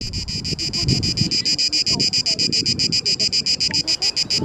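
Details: Cicada orni singing in Parque Eduardo VII; males make this deafening sound in mating season to attract females. Rapid, even pulses of a high buzzing tone, about eight per second, over faint low rumbling background noise.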